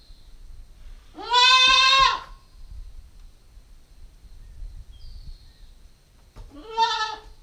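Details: Nine-week-old female Nubian goat kid recorded with a GoPro, giving a loud, wavering bleat lasting about a second, then a second shorter bleat near the end, with faint bird chirps between.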